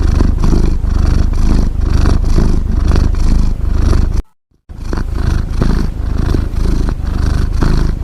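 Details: Cat snoring with a low, vibrating rumble in rhythmic breaths, cut by a brief silent gap midway before the same throbbing drone resumes.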